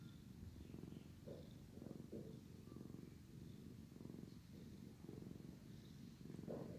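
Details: Male cat, drowsy, purring while his brother grooms him; thick low rumbling purr in breathing pulses, some brief brighter snuffling or licking sounds toward the end.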